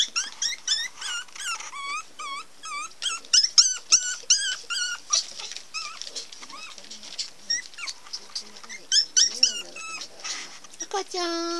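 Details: Pomeranian puppies at a Pomeranian breeding kennel: a fast run of thin, bent squeaks, about four a second, then scattered yelps and soft whines, ending on a drawn-out, lower whine.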